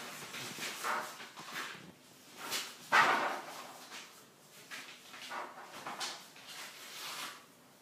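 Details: Ten-week-old Weimaraner puppies playing, three from a litter of seven: steady scuffles and knocks, with a few short harsh vocal bursts, one louder yelp-like bark near the middle.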